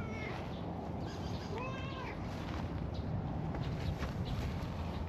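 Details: A stray cat, one of a friendly cream and orange tabby pair out in a park in warm spring weather, gives one drawn-out rising-then-falling meow with clear harmonics, set against steady outdoor rumble and hiss.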